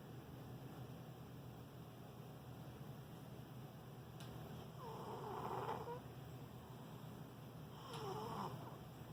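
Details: Sleeping cat snoring: two soft, breathy rasping snores a few seconds apart, each swelling and fading with a faint whistle, over a steady low hum.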